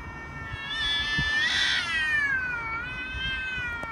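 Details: Two domestic cats fighting, a ginger named Billy and a grey: a loud drawn-out yowl with rich harmonics, swelling to a strained peak near the middle, then sliding down and wavering steadily to the end over faint background rumble.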